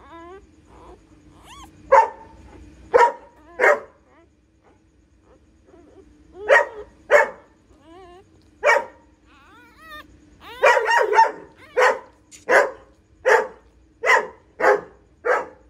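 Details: Home birth of nine puppies to a female pointer dog; loud single barks spaced irregularly, with a short quiet stretch, then a quicker series of barks near the end.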